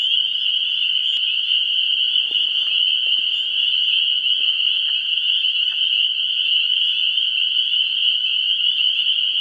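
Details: Early-season vernal pool on 17 March 2016, frogs in full chorus: an intense, seamless high-pitched ringing of countless overlapping calls, with faint low rustling and a few soft clicks beneath.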